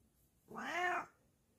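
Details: Bengal cat tucked away in a hiding spot indoors, letting out a single drawn-out meow of about half a second that rises then falls in an arch, clear harmonics, against a quiet room.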